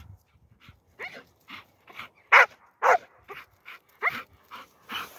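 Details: Young Standard Bull Terrier Aspid, full of energy on a walk away from civilisation, gives a run of short, yelping barks, roughly two per second, some louder and harsher than others.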